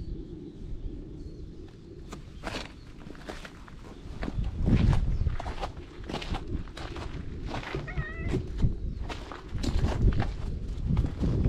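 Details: Weak, debilitated orange tabby stray cat found on a cat island, filmed with a GoPro HERO8: one short harmonic meow near the eighth second, set among crunching footsteps and handling noise outdoors.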